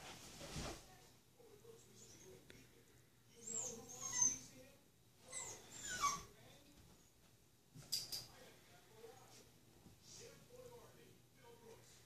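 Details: Nero, a small Golden Retriever puppy, trying to hop onto a bed; soft high whimpers and thin squeaks come in short bursts between quiet pauses, with faint breathing and a low steady hum behind.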